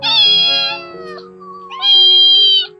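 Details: One of five abandoned kittens found early in the morning by a mountain roadside in Jeongseon, Gangwon, gives two high, thin, drawn-out meows separated by a short pause.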